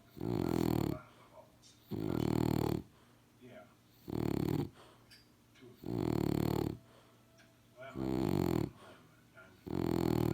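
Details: A French Bulldog snores in 2018, with six grating, rumbling breaths in a slow, even rhythm, each lasting almost a second. Soft hiss fills the pauses between them.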